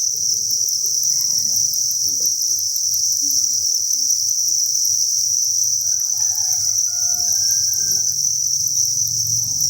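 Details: Thousands of crickets in a cricket farm breeding facility produce a dense, steady, shrill chorus, chirps blurring into one unbroken high buzz, with faint low rumbling and soft tonal notes beneath.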